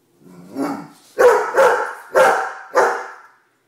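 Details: Shortie, a female Great Dane, asking for her dinner inside the house; a low growly woof followed by four loud, deep barks roughly half a second apart.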